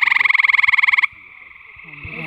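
A gray treefrog gives a loud, musical trill of rapid pulses lasting about a second.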